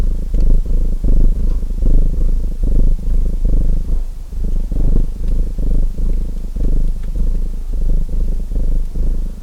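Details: Domestic cat purring steadily next to a crackling fireplace; a low, vibrating rumble swells with inhale and exhale about every second, with faint pops from the fire.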